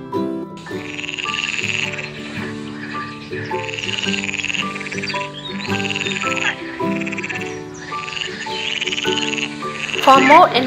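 Frog croaking in bursts roughly every two seconds, harsh and rattling, over steady background music tones.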